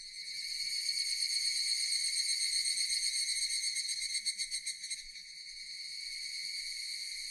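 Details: Japanese cicadas giving a dense high-pitched droning buzz that pulses rapidly near the middle before settling into a steady hum.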